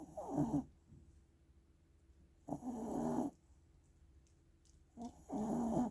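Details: Small Shih Tzu dog asleep and snoring; three rough, low, rattling snores, each about a second long, coming every two to two and a half seconds, with quiet pauses between.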